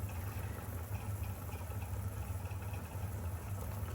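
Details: Constant deep engine-like hum throughout, with no animal sounds.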